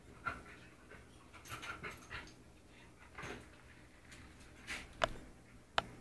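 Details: Pet dogs breathing in soft, breathy, noisy bursts at an uneven pace, roughly one or two per second, with a few sharp clicks near the end.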